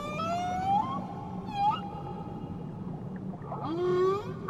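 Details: Whale song recorded off Tahiti: long wavering tonal cries sliding upward, a brief squeal midway, and a final rising moan, all layered with harmonics above a constant low drone.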